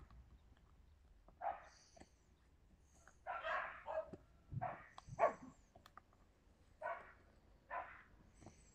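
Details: Yakutian Laika barking, recorded in September 2020: short, rough barks at uneven intervals, a few coming in quick pairs, over a quiet background.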